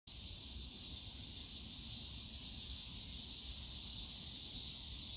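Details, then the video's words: Cicadas calling on a summer day in the bamboo grove of Yongsan Family Park: a dense, unbroken high buzzing drone that holds steady throughout, over a soft low rumble of distant park noise. "용산가족공원 대나무숲 매미소리"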